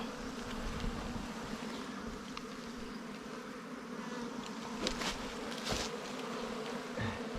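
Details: Humming of wild bees at their nest, found in honey-hunting season. A continuous low drone runs throughout, while sharp clicks and knocks from the digging work cut in near the end.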